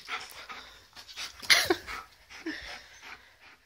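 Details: Pet Alaskan malamute puppy, called a wolf dog, confronting a birthday balloon in a room; rapid breathy panting with a short whine-like sound midway and noisy rustling bursts.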